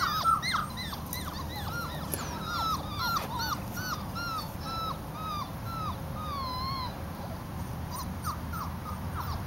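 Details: Labrador Retriever puppies from an October litter, many overlapping high whistled whimpers and squeaks, rapid and irregular, some falling, some wavering, a busy chorus of littermates over steady background hiss.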